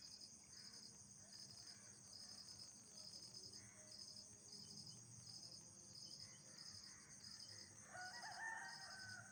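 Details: Nocturnal insects calling at night: rapid trains of short high chirps in bursts over a steady shrill high drone. A brief lower whistled sound appears near the end.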